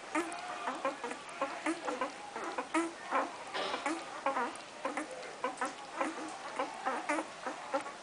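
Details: Irish Wolfhound puppies crooning while feeding: short, squeaky, harmonic croons tumble over one another, several per second, overlapping from different pups, with soft rustling between calls.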